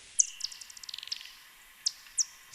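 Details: Bat echolocation recorded over a lake in the San Juan Islands, slowed down eight times: sharp, high downward chirps and a quick run of ticking pulses from bats hunting insects.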